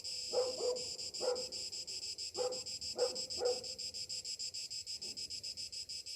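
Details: Morning cicadas in summer keep up a steady, rapidly pulsed metallic buzz. A dog barks about five times early on over the continuous insect chorus.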